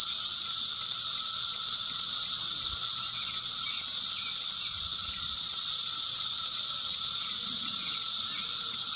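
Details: Brood X periodical cicadas singing in a dense, unbroken high-pitched hiss that holds steady for the full nine seconds, with a faint lower whining tone running beneath it and no other clear sounds.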